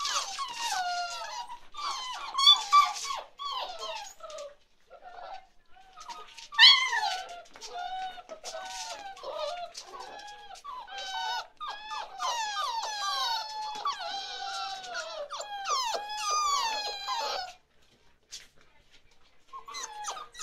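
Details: A litter of 47-day-old chocolate Labrador Retriever puppies whining indoors: many overlapping high squeaky whimpers and bending cries, nearly continuous for about seventeen seconds, then a brief pause and a few more.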